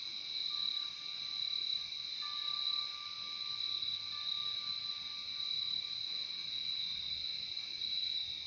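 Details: Relaxing nature soundscape of crickets: bright, unbroken high trilling with a lower companion band, plus a thin steady whistle-like tone holding across the middle of the stretch.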